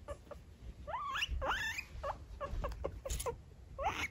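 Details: Pet guinea pig Lulu, a female wanting company with her owner, gives repeated upward-sweeping squealing whistles in quick succession, several with harmonics, broken by brief clicks and soft rustles.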